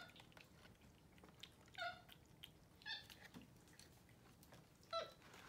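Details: Two pet capuchin monkeys indoors on a Sunday morning, eating oatmeal for breakfast in bed. Three short, clear, tonal squeaks spaced apart over quiet room noise, each a brief high note with overtones.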